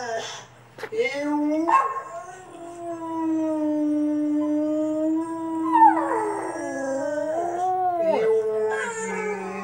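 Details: A Cavalier King Charles Spaniel / Papillon mix dog, in his first attempt at howling, gives long, wavering howls that slide up and down, with short yips between them.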